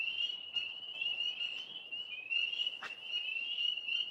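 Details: Outdoor frogs producing an unbroken, shrill, pulsing trill that wavers slightly in pitch. A brief knock or thump is heard near the middle.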